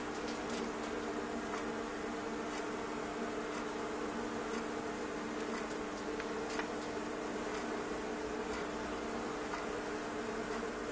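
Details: Steady mass buzzing of thousands of bees inside a stove fireplace, a constant low drone overlaid by sporadic light clicks and taps.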